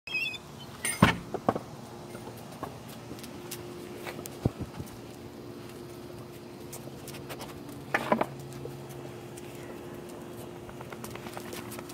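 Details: Indoors with a steady low hum, sharp knocks and thumps near the start and again around the eighth second, and faint scattered clicks; no animal voice.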